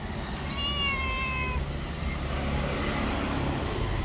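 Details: Stray tabby cat living on the street lets out a single clear meow lasting about a second, gently falling in pitch, while road traffic rumbles continuously in the background.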